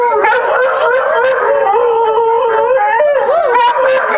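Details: Pet dogs, Willow (Boxer/Malamute) and Walnut (Schnoodle), howl along with a played recording of Alaskan Malamutes howling at a siren. Sustained, steady howls hold a fairly level pitch, then swoop up and down near the end, with several voices layered.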